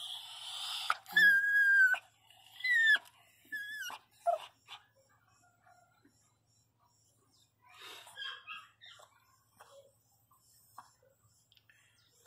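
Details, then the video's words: Pinscher dog crying loudly in pain while giving birth indoors: a few high, wavering whimpers that slide downward, clustered in the first four seconds, then fainter scattered whines and a woman's soothing voice. "A riqueza sentindo dor chorando alto começou ganhar filhote a parto de cachorro"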